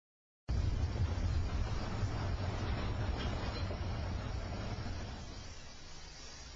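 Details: Steady low rumble of a running vehicle engine fills the recording from start to end, with no animal voice.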